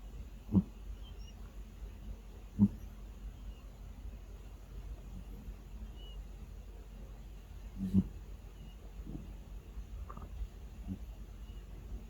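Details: Sleeping cat snoring, unedited, giving low, rough snorting breaths at uneven intervals of a few seconds, some louder than others, over a steady low hum in a quiet room.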